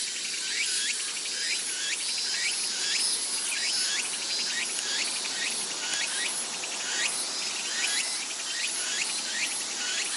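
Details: Cicadas singing in summer at Atago Shrine overlooking Sendai, Japan: a loud, unbroken high-pitched drone, overlaid by repeated upward-sweeping buzzes roughly every second.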